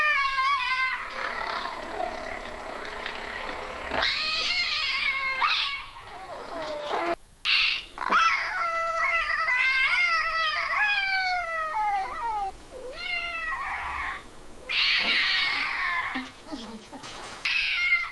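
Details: Cat giving prolonged yowls linked to mating or a territorial dispute; repeated rising and falling wails with quavering pitch, broken by brief gaps and a few harsher, noisier outbursts.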